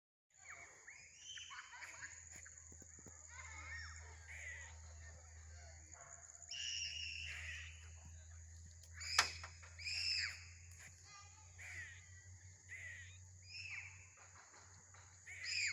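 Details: Squirrel making strange noises: a run of harsh, squealing calls with bright harmonics, some rising and some falling, in uneven bursts. A steady high electronic whine and a low hum run underneath.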